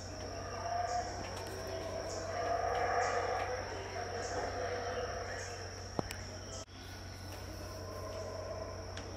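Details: Distant, unseen howler monkeys at Tikal, Guatemala, around 6am in a dawn chorus, roar in a deep, swelling chorus over a steady high insect drone.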